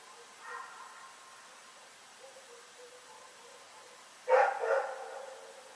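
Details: Rex the dog at Pyrga, barking in the night on Feb 27, 2018: faint distant sounds, then a sudden loud double bark near the end.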